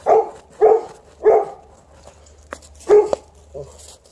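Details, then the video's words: Playful Alaskan Malamute outdoors with a Golden Retriever, not coming back inside; a quick series of four deep, harsh barks, three evenly spaced and a fourth after a pause, then a short yip. "Digging, rolling, barking, not coming in - Alaskan Malamute & Golden Retriever outside"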